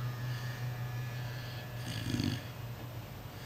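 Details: A puppy snores in its sleep indoors: one rough, rumbling snore swells and fades near the middle, set against a low steady hum and quieter breathing.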